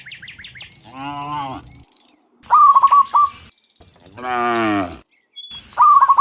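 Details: Afternoon herd of dozens of cows heading back from the fields to the pen: two long, deep moos alternate with short series of sharp chirping bird notes.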